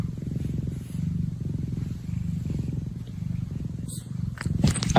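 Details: Steady, low rumbling purr from a cat, pulsing rapidly and evenly for several seconds, with a few brief clicks and rustles near the end.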